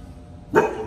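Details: German Shepherd named Kai reunited with his owners gives one loud, abrupt excited bark after a moment of quiet room noise; a voice follows greeting people.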